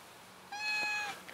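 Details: A house cat meows once, a short flat, even-pitched cry lasting under a second, clear and tonal, with a quiet room behind and a person's voice starting just after.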